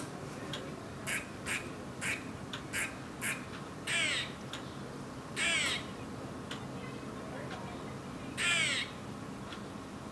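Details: Eastern grey squirrel giving alarm calls, kuks and quaas: short sharp harsh notes repeated irregularly, with three longer raspy buzzing calls near four, five and a half and eight and a half seconds, over steady background hiss.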